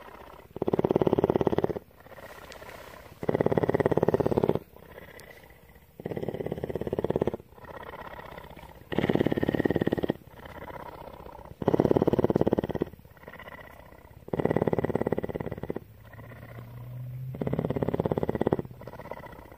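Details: A captive female cougar (mountain lion) at a rescue centre in Bridgeport, Texas, purrs steadily, a deep rough rumble swelling and easing with each breath.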